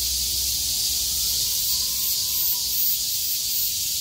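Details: Cicadas that survived heavy rain sing loudly as the sky clears on 6 August 2020. Their chorus forms a steady, intense high-pitched drone, gently swelling and fading.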